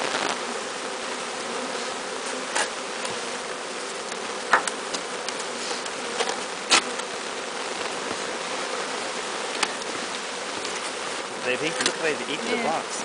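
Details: A captured bee swarm walking into a new hive makes a steady, droning hum throughout, with scattered sharp knocks and faint higher buzzes near the end.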